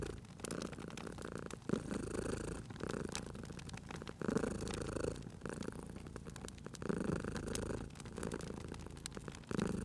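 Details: Soft rumbling purr of a domestic cat by a fireplace, rising and easing in regular breathing cycles around every two and a half seconds, with crackling fire snapping in the background.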